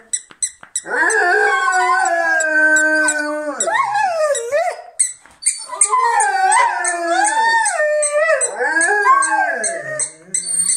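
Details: Several Rhodesian Ridgebacks howling together as if singing a song: long overlapping tonal howls with wavering pitch, starting with a held note that rises and falls, a brief pause midway, then more bending, sliding howls, with faint high clicking throughout.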